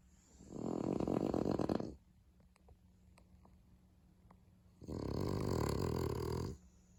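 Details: Sleeping French Bulldog, one of a pair, giving two loud rattling snores about three seconds apart, each lasting over a second with a coarse fluttering buzz, and a few faint clicks in the quiet gap.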